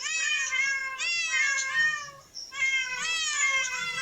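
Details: Cats in a park, drawn-out harmonic meows, three long calls each about a second, slightly falling then rising in pitch, loud and clear with no other sounds.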